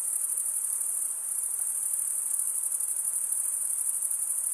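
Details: A short burst of cricket stridulation: a shrill, rapidly pulsing high trill with a faint flutter running through it, steady in loudness and alone in the recording.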